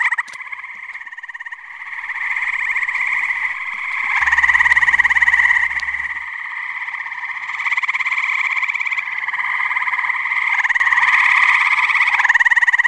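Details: Many tree frogs calling together at a pond on a muggy New Jersey night; continuous buzzy, rapidly pulsed chorus that rises and falls in intensity, with a short low rumble partway through.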